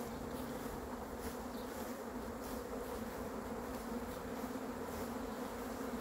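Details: Honey bee swarm arriving: a dense, even, unbroken buzzing drone with layered steady tones and no pauses.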